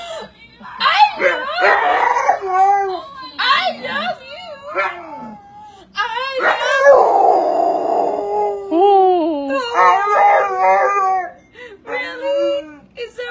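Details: Pet pit bull trained by its owner to say "I love you"; wavering, tuneful howls that rise and fall in speech-like phrases, slow to start, then more drawn out, mixed with a human voice prompting it.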